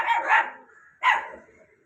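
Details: Two pet puppies stand side by side and bark, letting no one walk past their spot; two short, harsh barks land about one second apart, each fading quickly, with nothing else audible.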